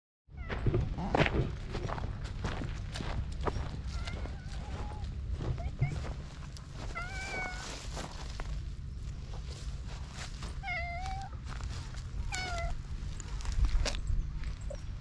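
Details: Hungry cats on a Japanese cat island, filmed outdoors on a GoPro: several short harmonic meows rise and fall around three, eleven and twelve seconds over steady low rumbling background noise and occasional clicks and footsteps.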